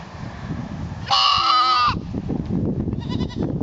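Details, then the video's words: Goat in a herd, trying to fit in: one loud, steady, nasal bleat of about a second with rich harmonics, followed by a fainter short wavering bleat, over low rumbling background noise. "being a goat"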